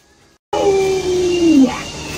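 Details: A pet Alaskan Malamute named Luoluo howls at its masked owner, a single clear tonal note that starts suddenly after silence and slides gradually downward before fading into room noise.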